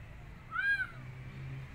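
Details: A single clear arched meow from a rescued street kitten that wants to go back outside and won't eat, rising then falling, over quiet low background hum.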